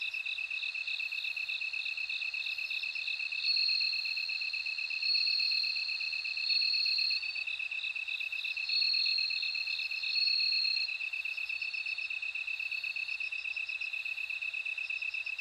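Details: Bell cricket singing: bright, tinkling trilled phrases that swell and fade every second or so over a steady high, unbroken insect drone, with faint pulsing chirps between the louder bursts.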